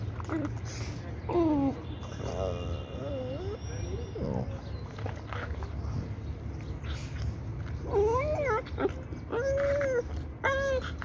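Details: Labrador Retriever puppy play-fighting with its mother: short, bending whines and yelps that rise and fall, coming in several separate bursts over a steady low rumble and scuffling noise.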